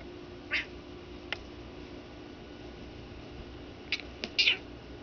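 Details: Pet cat that sometimes attacks blankets, here egged on by a person; two short, high, harmonic meows near the start and end, with a few faint clicks over a steady low room hum.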